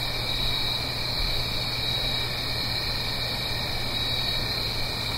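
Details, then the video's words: Crickets singing on an autumn night in the Blue Ridge Mountains, up the hill from a gentle stream; a steady, unbroken high-pitched chorus of several layered trilling tones, with a faint low hum beneath. "Autumn Crickets - 9-Hour Sleep Sound - Fall Cricket Song"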